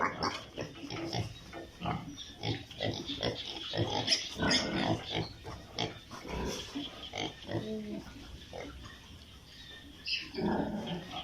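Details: Piglets on an Italian pig farm keep up a dense stream of rough grunts and squeals, about three calls a second, many animals overlapping, louder in the first half and easing toward the end.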